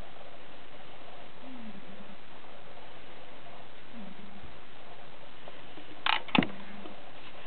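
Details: Five-day-old Siberian cat kittens from the Caleana litter, 2012, give two soft, low mews that dip then level off, followed by a sharp knock or click near the end.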